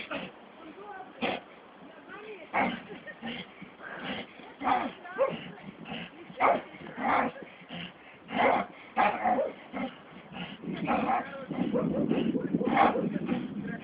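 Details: Staffordshire Bull Terrier out on a walk, giving short, sharp barks and yelps at uneven intervals, about sixteen a minute, with people talking throughout and a louder, rougher stretch of vocalising near the end.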